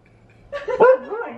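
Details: Female Siberian Husky vocalizing at a balloon: one short, harmonic, yelping bark-whine that rises and then falls, with a quieter trailing tail.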